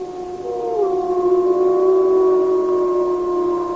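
Wolfdogs howl in long, steady, low tones, one voice sliding up before settling into a held note.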